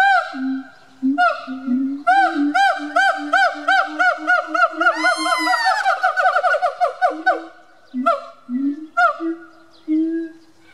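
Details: Siamang song recorded at a zoo in Bad Pyrmont, Germany, November 2018, two animals calling: rapid series of loud looping whoops over sustained low hoots, climbing into a shrill rising peak before dropping back to spaced barks.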